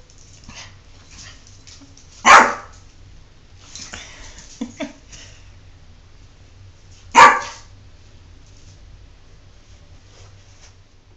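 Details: Pet dog named Jordan, reluctant to take a bath, gives two sharp single barks about five seconds apart, with a woman's voice calling to the dog in between inside a small room.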